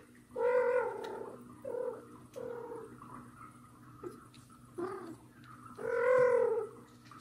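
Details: Annoyed mother cat pulling at hidden kitten Mosya while adopted kitten Johnny walks near: a long meow, a string of short softer mews, then another long loud meow.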